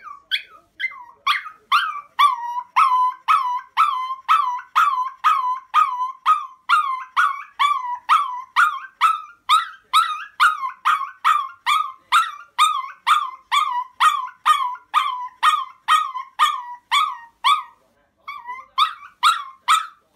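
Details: Pet Chihuahua demand barking and screaming when its request is not met: rapid shrill yelping barks, about two per second, steady and relentless, with one short pause near the end.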